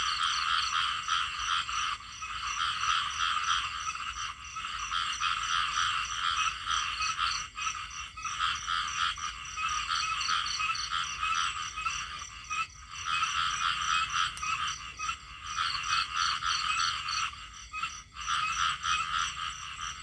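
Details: A chorus of small frogs with rapid pulsed croaking trills from many callers at once. The wall of sound fades and returns in waves every few seconds.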